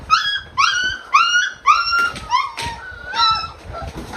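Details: Adult male Brittany spaniel, excited while greeting each of his puppies by bumping noses; a run of high, whiny whimpers rising at the end, about seven in four seconds, with snuffling and rustling between them.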